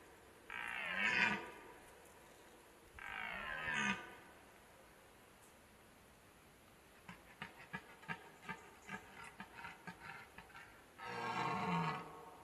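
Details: A red deer stag in the autumn rutting season gives deep, rasping roars with a run of short, throaty grunts between them, bellows asserting dominance over rivals and courting.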